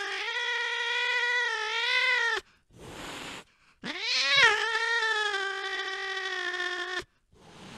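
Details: Late-night cat chasing a mouse, giving two long drawn-out yowls, the first about two and a half seconds and the second about three, steady and rich in overtones, with a brief rustling noise between them.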